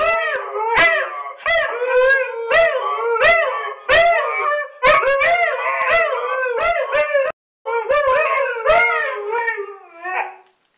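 Two Siberian Huskies howl together, their wavering, rising and falling voices overlapping in a duet.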